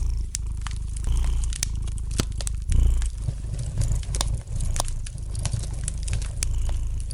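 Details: Domestic cat purring gently beside a fireplace, a low steady rumble that swells and fades in long breaths, with sharp wood-fire crackles and pops scattered throughout.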